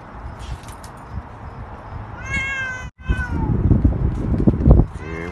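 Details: Cat riding in a stroller on a short outdoor walk with its owners gives a clear rising-then-falling meow near the middle, another starting at the end, over low street rumble and handling noise.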